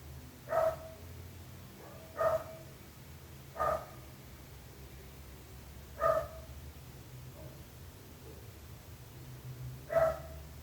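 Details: A domestic dog barking, kept by neighbours: single short barks spaced irregularly, five in about ten seconds, over a steady low hum.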